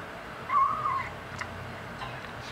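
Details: A five-week-old kitten mews once while eating the big cats' dry food, a short wavering high-pitched cry lasting about half a second over a steady low hum.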